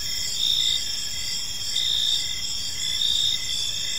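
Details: Crickets chirping on an evening in a park: a dense, steady high-pitched trill with pulsed chirps repeating roughly every second, several overlapping insects forming a continuous chorus over faint low background rumble.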